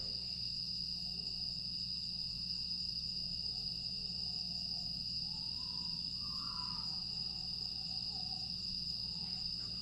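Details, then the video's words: Grass insects calling through a calm August night in Aewol, Jeju, dated 25 August 2022: constant piercing high buzz, with a few faint lower tonal notes rising midway and a brief brighter note near six seconds. "조용한 풍경과 풀벌레 소리"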